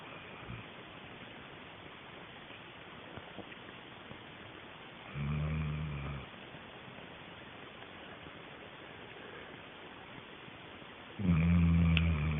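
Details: A sleeping dog named Sheila snoring indoors: two long, low rumbling snores with harmonic bands, separated by several seconds of quiet breathing.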